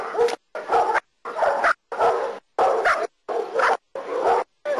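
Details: German Shepherd named Nero barking during protection work in Costa Rica: loud, harsh barks in a steady series, about seven within five seconds, each short and broadband with brief silent gaps between.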